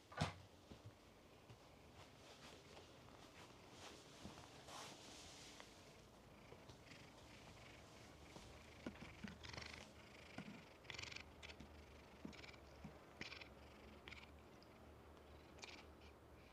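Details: A black cat, one of ten resident cats at the Shoraku Ryokan inn, purrs quietly in a guest room after visiting, a continuous low throbbing hum with brushing and rustling sounds.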